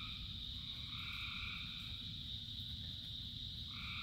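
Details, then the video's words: A rainy-night frog chorus: a continuous shrill drone, with a few lower drawn-out croaking notes rising in and out and a deep, steady rain rumble beneath. "Frogs in Rain 2 Hours of Frogs, Thousands of Frogs Singing"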